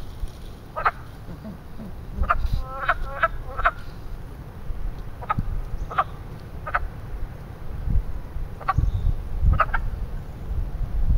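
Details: Frogs giving mating calls at a small man-made pond in Western Pennsylvania in spring: short, clucking, harmonic croaks, some doubled or tripled in quick runs, scattered irregularly over a low rumble of wind and outdoor noise.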